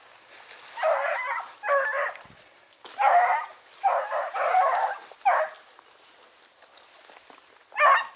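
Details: Dachshunds barking on a driven fox hunt in Victoria, Australia, recorded 23 October 2022. Rough barks in pairs and short runs, fairly steady for five seconds. After a pause, a final loud single bark follows.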